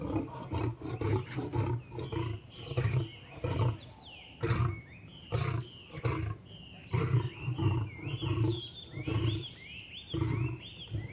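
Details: A lame lion fighting a tiger and forcing it to submit: harsh, rough growling roars in rapid bursts, roughly two per second, with chirping birds whistling faintly behind the snarling.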